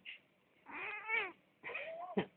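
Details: A pet cat trying to sleep by a heater at night, disturbed, answers with two long complaining meows, the first arching and wavering, the second sliding upward, plus a brief chirp at the start; recorded on a phone indoors.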